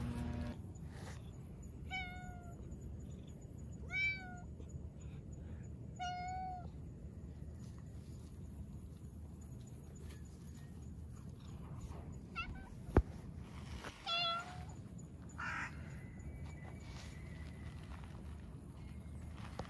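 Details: Black cat chatting as it strolls outdoors, later sitting on a bench to be petted: three short harmonic meows about two seconds apart, then a pair of meows near the end, over steady low background rumble and a sharp knock.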